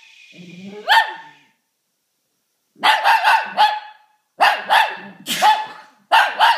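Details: Shih Tzu barking and howling in response to someone sneezing, a pet dog at home; sharp harmonic barks come in clustered bursts of three to four, separated by short silences, with a soft human sound at the start.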